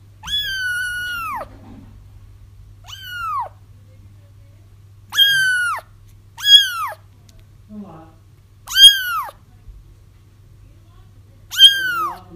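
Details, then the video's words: Crying kittens meant to draw a feral mother cat toward a trap; six loud arching meows, some drawn out near a second, spaced unevenly, with faint soft murmurs between them and a constant low hum behind. "30 minutes of Kittens Crying"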